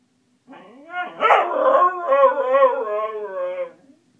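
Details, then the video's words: Female Siberian Husky howling part of a musical scale; a soft hum opens into a loud, harmonic-rich howl with wavering, sliding pitch steps, sustained for about three seconds before fading out. "the Husky sings part of a musical scale"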